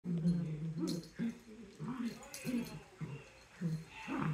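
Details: Dachshunds fighting at play, with repeated low rumbling growls and whines in short bursts, about two per second, mixed with a person's voice in the background.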